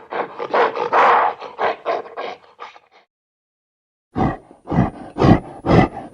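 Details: Angry gorilla roaring in quick pulsed bursts, about two per second, falling silent for about a second, then resuming with deeper, heavier roaring pulses.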